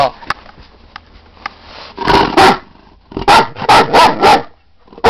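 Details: Female Great Dane telling her owner she has to go out: a quiet start, then two bursts of whiny, barking yelps around the second and third-to-fourth seconds, with strained tonal edges and short gaps between calls.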